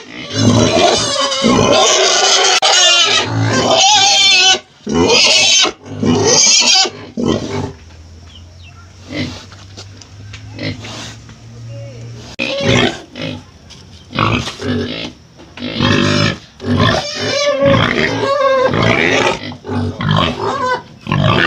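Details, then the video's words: Domestic pig sounds for teaching children: loud, harsh squeals and grunts in rapid bursts, with a quieter pause in the middle holding a low hum, then more squealing bursts. "suara babi"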